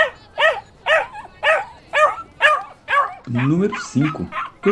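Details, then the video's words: Dog and puppies barking: seven evenly spaced sharp barks, about two per second, each with a brief bent tail, then a lower, drawn-out yelping or whining stretch toward the end. "Som de Cachorro e Cachorrinhos Latindo"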